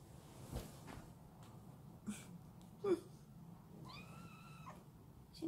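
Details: Munchkin kitten meowing in response to its owner's touch: one drawn-out, harmonic meow with a steady, slightly arched pitch, surrounded by soft Korean speech, brief rustles and small taps.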